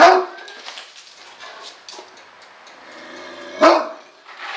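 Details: A Great Dane lets out one sharp bark at the start and a second loud, deep bark after a quiet stretch, with faint rustling and scattered softer noises in between.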